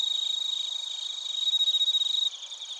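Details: Crickets, bell crickets among them, heard in Narita, Chiba Prefecture, Japan, using a TASCAM Portacapture X8. A close singer gives fast, even pulses of bright ringing tone, swelling midway, then drops back into the softer high chorus.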